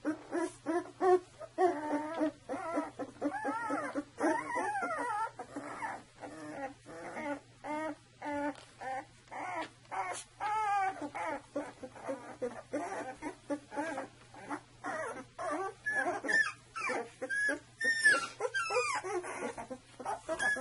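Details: Saluki litter at two weeks old, many pups whining together in a dense stream of short wavering squeals and whimpers, rapid overlapping cries with rising and falling pitch throughout.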